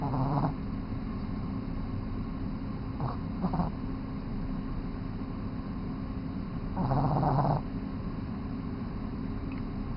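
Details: Three-month-old Boston Terrier puppy asleep and snoring: low rumbling breaths with louder snorts near the start, around three seconds and again between seven and eight seconds, over a steady low hum.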